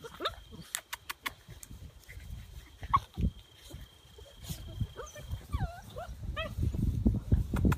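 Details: Bernese Mountain Dog puppies, a litter playing together one last time before leaving for new homes; short high whines and yelps with wavering, bending pitch cluster near the end, over scattered clicks, low rustling and a steady faint hum.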